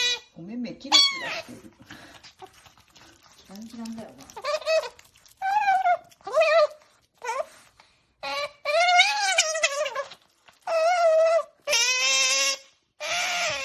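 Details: Qoo the otter voicing happy sounds over her favourite food: a few low murmurs and a human voice early on, then repeated high, warbling squeals in short bursts that grow louder and harsher toward the end.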